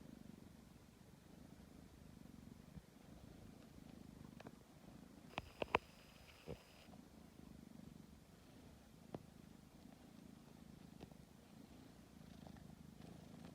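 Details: Tabby cat purring while kneading before falling asleep, a low steady rumble with a few soft clicks and brief rustles midway.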